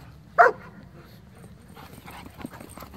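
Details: A single sharp, loud bark bursts out near the start from one of the dogs in a meeting between a Pomeranian, a Border Collie and a shepherd. Afterwards there is only faint rustling and low background noise.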